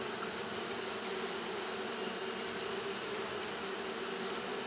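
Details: Japanese honey bees fanning nonstop in hot weather: a uniform humming buzz of many wings, low and full, topped by a continuous shrill high band, level and unbroken throughout.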